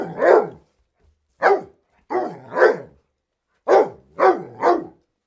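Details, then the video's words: Sharp dog barks in irregular groups of one to three, each bark falling quickly in pitch, separated by short silences. "Dogs Barking for 12 hours"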